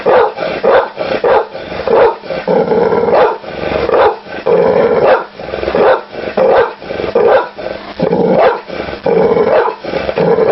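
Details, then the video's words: Dog barking steadily, loud hoarse barks coming roughly every second or two, some in quick doubles, with no other clear sounds. "SOM DO CACHORRO, CACHORRO LATINDO"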